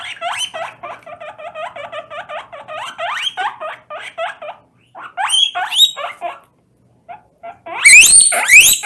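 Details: Guinea pig wheeking loudly during its first bath in water: rapid series of short rising squeaks repeated about every half second, then pauses and a louder burst of high shrill wheeks at the end.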